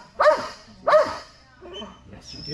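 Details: Two loud, sharp barks from Strider, a Belgian Malinois at Fetch-It dock diving practice, followed by quieter sounds and a thin high whistle-like tone.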